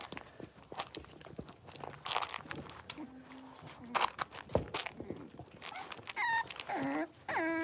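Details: A litter of five blenheim Cavalier King Charles Spaniel puppies, six weeks old, in an indoor puppy pen. Rustling and human voices come first, then several sharp, bending, high-pitched whines and yelps at the end.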